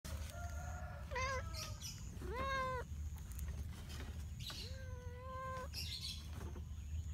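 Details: Cat and kitten in a village: several drawn-out, tonal meows, each about half a second long, sometimes with a slight upward bend. They come at irregular intervals over a steady low rumble of outdoor background noise.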